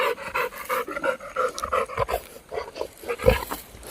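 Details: Labrador dog panting while out playing: steady, rhythmic, breathy pants, about three each second, with a sharp knock near the end.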